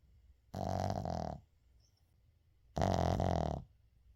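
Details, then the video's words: Shih Tzu named Uijung snoring while asleep indoors, unedited recording; two long raspy, rumbling snores, each almost a second long, separated by about a second and a half of quiet breathing. "시츄 코골이"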